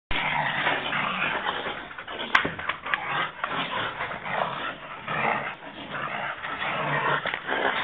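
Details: Five-month-old American Pit Bull Terrier puppy in attack training, giving dense, rough growling and snarling that runs almost continuously, with a sharp click partway through and a man's voice nearby.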